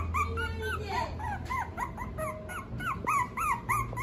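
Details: Female Toy Poodle with an abundant coat. Quick, repeated high whines curve up and down, about three or four a second, with a brief low tone early on and a low background hum.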